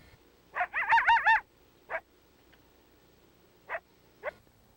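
A coyote gives a short, wavering howl whose pitch rises and falls, followed by a few sharp yips.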